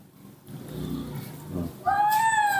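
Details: Hungry newborn baby monkey asking for milk: a woman speaks softly in Indonesian, then a loud, clear, high whistled cry rises and holds steady for nearly a second.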